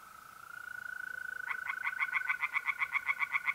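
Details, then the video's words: On a mid-April night by a pond in north-eastern Italy, a continuous mole cricket trill is joined after a second and a half by a tree frog. The frog gives quick, rhythmic croaks, roughly four per second, growing louder. "relaxing singing tree frogs in pond"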